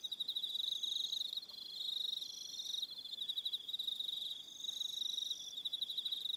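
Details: Crickets in the evening on Aroha Island, New Zealand, producing a bright, high, rapidly pulsing trill that swells and fades, joined by sustained higher tones from other callers.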